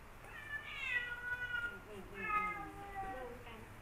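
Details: Rival male cats Kaopat and Ronja, never friends, face off indoors; drawn-out harmonic yowls rise and bend, then a second wavering wail follows after a short pause.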